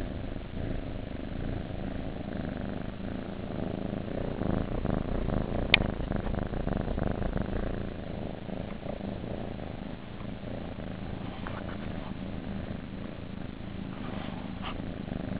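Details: Kittens in a nursery making a steady low purring rumble, fast rough pulses running continuously, with a brief faint click midway.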